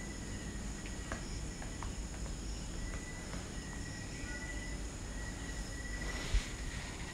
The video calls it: Crickets 🦗 sounds